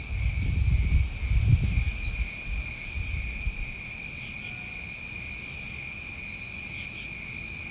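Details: Crickets on a New England summer night: a continuous, shimmering wall of high trilling bands with brief bursts of higher chirps every few seconds, while a soft low rumble rises and fades underneath.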